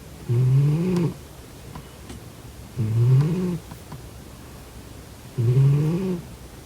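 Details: Sleeping domestic cat snoring: three long, low, harmonic rasping snores, each about a second, repeated roughly every two and a half seconds in a quiet indoor setting.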